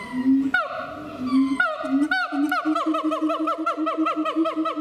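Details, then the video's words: A siamang at Chiba Zoological Park, Japan, gives deep booming hoots, then loud whooping notes that rise and fall and speed up. "驚きの鳴き声と身体能力「フクロテナガザル」〜千葉市動物公園の動物〜"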